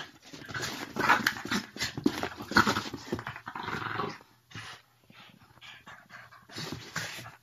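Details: Play-fighting Boston Terrier and French Bulldog mix Mochi challenges Curro to a wrestling match. A dense run of rasping growls and huffs lasts about four seconds, then quieter scattered snorts follow.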